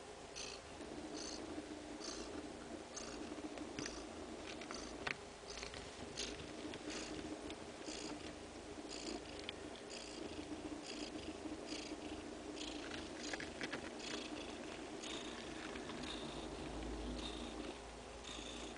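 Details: Mother cat with suckling two-day-old kittens; a long, steady purr beats in regular hushed pulses under the nursing, with a few tiny clicks scattered throughout.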